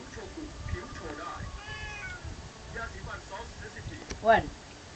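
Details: A heavily built domestic cat meowing indoors: a few short harmonic mews amid speech and background murmur, with a louder rising-falling meow near the end.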